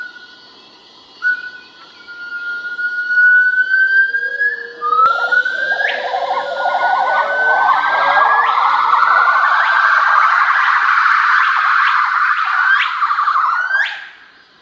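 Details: Hainan gibbons, a pair duetting to mark territory and show their mating bond: long whistled notes rising and falling in pitch, then a fast run of rising, siren-like whoops that swell and quicken before fading.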